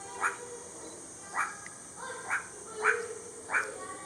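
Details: Meerkat recorded on 17 July 2022, giving five short, slightly harmonic chirping calls spaced irregularly, roughly every half to one second, over a steady high mechanical hum and faint background noise.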